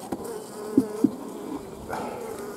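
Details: Western honey bees at an apiary during the honey harvest, 15 July 2016, give a steady, low droning hum broken by two sharp knocks.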